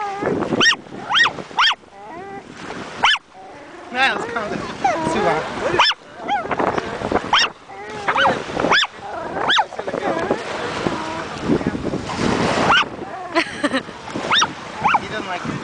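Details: Chihuahua at the ocean shore in summer 2008 on its first seaside visit, barking at every wave; high, clipped yaps repeat throughout, often in pairs, over steady surf and wind noise, with human voices talking among the barks.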